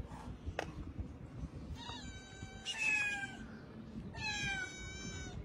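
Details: Street cats, a mother cat with her kittens, outdoors. Two drawn-out, bright, harmonic-rich meows about two seconds apart stand out clearly over low background noise.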